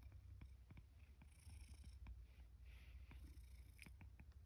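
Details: In Higashiomi, Shiga, Japan, the male rescue cat Sacchan comes to breakfast when called, autumn 2023. He gives a continuous deep rumbling purr under frequent small clicking and tapping sounds, with a faint airy hiss above.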